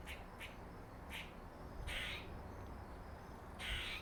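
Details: Male squirrel nicknamed Dirty Face, marked by a dark patch on his face and thought to be related to another squirrel called Jerry, gives short harsh noisy chirps, five in four seconds, over a low steady rumble.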